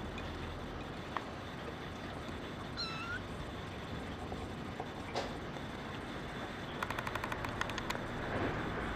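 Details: Female brown tabby and white kitten called Kura, born 28 December 2010, utters a single short, high, thin meow near the middle, surrounded by soft background hiss and a quick burst of ticking clicks toward the end.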